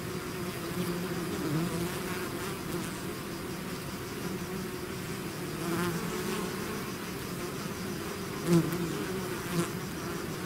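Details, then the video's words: Continuous humming of a honey bee swarm that has left its hive, broad even drone throughout, one bee zipping sharply past near the microphone late on. "bees therapy swarm natural buzzing sound"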